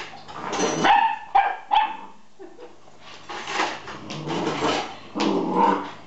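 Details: Nine-week-old collie puppy barking at a fork: short, high, yelping barks in quick bursts, with some whiny tonal notes between them and quieter breathy sounds.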